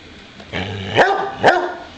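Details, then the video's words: Boxer named Bowser, a pet dog wanting to play, gives two sharp barks about half a second apart after a low rumbling growl-like lead-in. "Bowser the boxer wants to play again"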